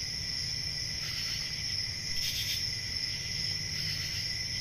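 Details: Crickets on a summer night in a forest setting, a steady high shimmering trill that never pauses, with a fainter lower band of chirping beneath and a soft low rumble of background noise.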